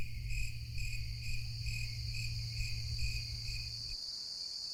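A cricket chirps in quick, evenly spaced bursts over a steady high insect hum.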